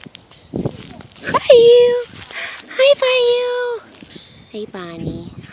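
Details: Catahoula Bulldog puppies at six weeks old give two drawn-out, steady, nasal whines, each about half a second long, then a shorter whimper, with people talking in Portuguese between them.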